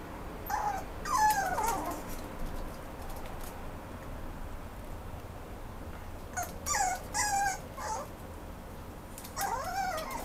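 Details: Whimpering Mame Shiba at a Japanese pet shop for dogs seeking new owners: three separate bursts of high, quavering whines, each a cluster of short sliding cries, with quiet gaps between them and faint background room noise.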